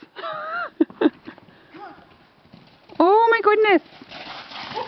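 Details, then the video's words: Gypsy Vanner horse reacting to an iPhone horse ringtone it seems to take for a new companion. Quavering harmonic neigh, then a louder wavering whinny near the end, with excited human voices and clip-clop sounds around it. "the Gypsy Vanner vs the iphone "horse" ringtone"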